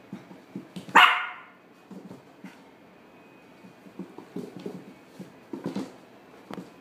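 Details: A black male Toy Poodle born in December 2016, at a pet shop, lets out a single sharp bark near the start. Quieter tapping and shuffling in a small room follow.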